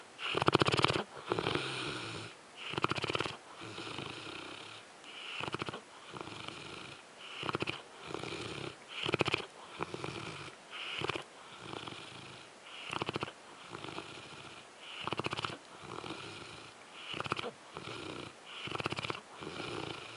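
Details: Zues, a French Mastiff, snoring while asleep. Raspy, rattling breaths rise and fall steadily, roughly every one and a half to two seconds, each a coarse buzzy swell with a short quiet gap between.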